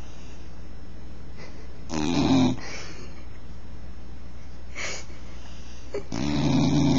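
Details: Snoring bull terrier, with rough, breathy snorts at intervals: a short burst around two seconds, a faint one near five seconds, and a longer raspy snore at the end, with quiet breathing between.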